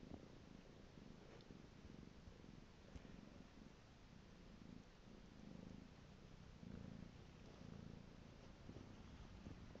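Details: Steady low-pitched purring by a pet cat called Piko, the rumbling pulses swelling slightly in regular breaths, recorded close up indoors with occasional faint clicks.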